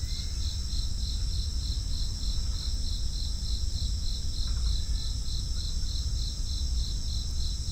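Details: Crickets sing in an unbroken series of evenly timed chirps, roughly three per second, accompanied by a steady high-pitched drone and a strong low rumble, with a faint short call midway.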